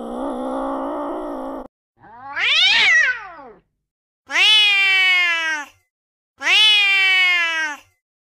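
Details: Angry domestic cat: a rough sustained growl, a rising-and-falling wailing cry, then two loud, bright, strained meows about two seconds apart, each slightly descending at the end.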